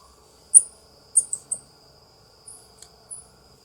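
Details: Ring-tailed coati (Nasua nasua) giving short, very high-pitched chirps, single then in a quick cluster of three, followed by fainter squeaks, over a steady thin insect-like whine.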